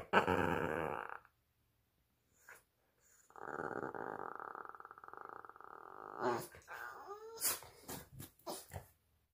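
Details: A female Boston Terrier makes drawn-out, rumbling growl-talk sounds while playing and wiggling her tail.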